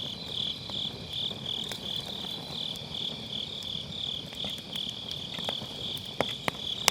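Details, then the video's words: On an autumn night by a round fire pit, grass insects keep up a bright, throbbing high trill, recorded with a Sennheiser MKE600 using low cut; a few sharp firewood pops stand out near the end. "가을밤 풀벌레 소리"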